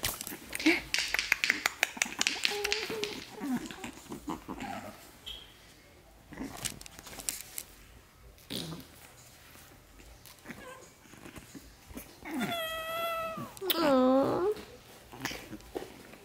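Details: Four 8-week-old Shih Tzu puppies playing together indoors on the day two of them leave for new homes; scuffling noises and short yips, then a drawn-out high whine wavering up and down near the end, with a person talking softly.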